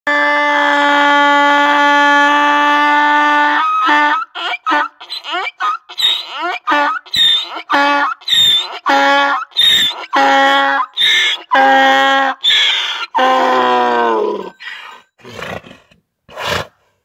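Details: An Istrian donkey, a native breed of the Istrian peninsula, brays at people nearby: a long, steady opening note, then rapid, rasping hee-haw alternations; Istrian donkey.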